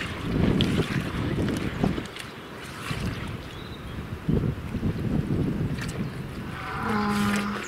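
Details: Free-range Gloucestershire Old Spots pig, the orchard pig, rooting in mud in a large open area with trees; deep, rough grunts come in short bursts with snuffling, and a faint steady tone near the end.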